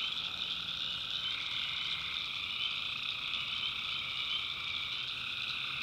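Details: Night chorus of tree frogs in North Carolina backwoods swampland: continuous shrill trilling from many frogs blending into a steady wall of sound, with a fainter lower band running underneath throughout.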